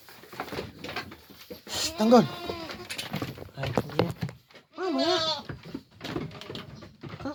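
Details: Pet goats being let out of their pen bleat twice, loud wavering bleats near the second and fifth seconds, with a man talking in Filipino throughout and some shuffling.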